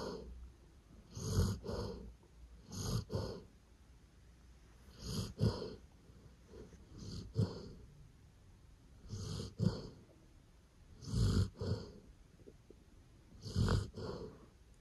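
A Golden Retriever snores in deep, rasping breaths, each snore repeating about every two seconds.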